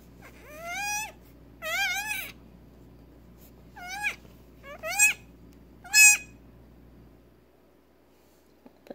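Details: Newborn female Nigerian Dwarf goat kid, just over six hours old and not yet able to stand or feed alone, being syringe fed colostrum; five high, wavering harmonic bleats spread over about six seconds, with a steady low hum underneath.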